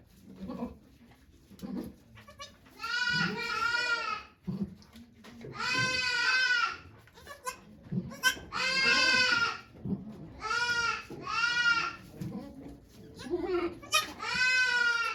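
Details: Okayu the goat calling repeatedly during the birth of two kids at Yoshigake farm, Japan, on 3 May 2023 with volunteers present; a series of about eight loud wavering bleats, each a second or two long, with low grunts between.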